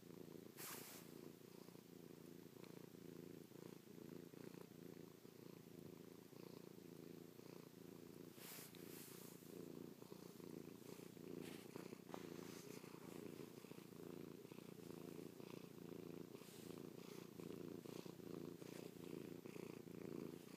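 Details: Chloe, a pet cat, purring while affectionately kissing, pawing and licking her owner's face after sleeping on the owner's back all night; steady low rumbling purr throughout, with a few brief rustling clicks from movement close by.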